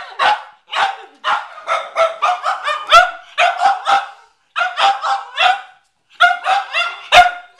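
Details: McCartney, a Cavalier King Charles Spaniel, barks at a watermelon in the garage: bursts of quick, ringing barks in clusters separated by short pauses.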